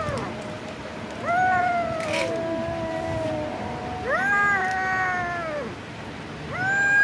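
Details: Kitten in a village gnawing raw chicken meat meows plaintively, giving three drawn-out cries that rise briefly then droop, spaced a few seconds apart, over faint background noise.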